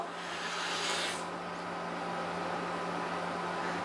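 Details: Broadband rubbing hiss with a steady low hum and no animal voice.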